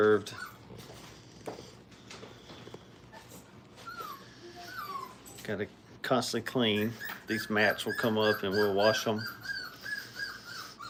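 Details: Brittany puppies, five weeks old, in crate training give scattered thin whines, then a burst of loud, overlapping wavering cries and yelps in the second half, with voices in a small room.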